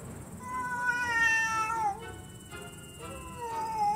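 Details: Late-night yowling from an aggressive stray cat that came to a cat room: a long, bending meow followed by another rising-then-falling cry, with faint steady background tones.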